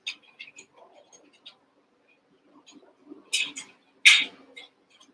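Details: Merged litters of Cavalier King Charles Spaniel puppies, six from Daisy and two from Robin, at play indoors; scattered soft squeaks give way to two loud, sharp squeals near the end, with quiet gaps between.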